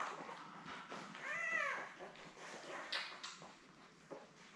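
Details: Labrador Retriever puppy from Belle's seven-pup litter born May 24, 2021, on a live puppy cam, giving one brief arched whine that rises and falls, surrounded by soft shuffling and clicking noises.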